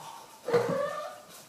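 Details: Ame, an American Shorthair cat, answers its owner in conversation with one drawn-out meow that rises then slowly falls, lasting about half a second, after a woman's voice in a quiet room.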